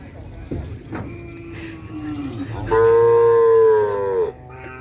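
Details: Cattle on its first day down at the field, straight into group training: after scattered knocks and low background chatter comes one loud, steady, nasal moo of about one and a half seconds, holding a level pitch before fading.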